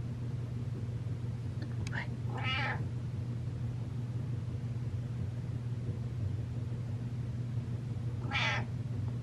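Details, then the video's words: Butters, a pet cat, walks up and meows: two drawn-out, harmonic meows about six seconds apart, the second rising then falling, over a steady low indoor hum, with a few faint clicks before the first. "Cat Walks Up And Meows"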